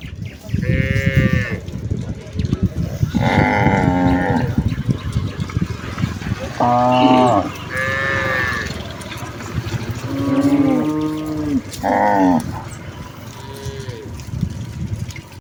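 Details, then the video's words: Herd of village cattle, mothers followed by calves, on their way back to the barn: a steady series of about seven overlapping moos from several animals, some deep and drawn out, others short and higher, amid rustling and low noise. "suara sapi lembu desa mooo"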